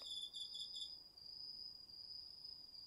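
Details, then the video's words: Autumn night insects including crickets in a garden field in a quiet residential district of northeastern Tokyo, recorded on a DR-40X; a high pulsed trill fades after one second, leaving a steady continuous high drone. "秋の虫の声 ASMRでおやすみなさい 〜虫の音を枕元で聞いてね〜 こおろぎ他"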